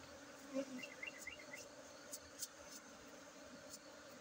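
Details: Honey bees at a bee colony site, a soft steady low hum of buzzing wings with a few faint higher chirps over it, quiet and even throughout.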